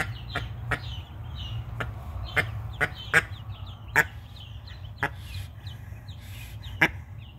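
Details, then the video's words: Defending her freshly hatched ducklings, twelve so far, the mallard hen lets out a rapid, irregular series of sharp short quacks, accompanied by thin high peeping. "Protective Duck."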